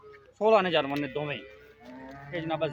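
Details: Jersey cross cow offered for sale in Punjab, Pakistan, giving a drawn-out harmonic moo, then a shorter, softer moo near the end, with men talking nearby.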